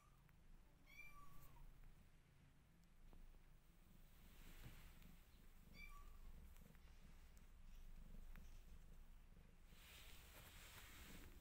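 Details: A mother cat missing her old house and trying to get out of her new one utters two brief, thin meows about five seconds apart, with low rumbling room noise between them.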